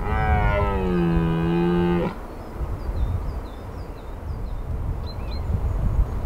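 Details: A red deer stag in the Massif de l'Aigoual, France, during the 2023 rut, gives a deep, two-second bellow that sags slightly in pitch, followed by faint birdsong.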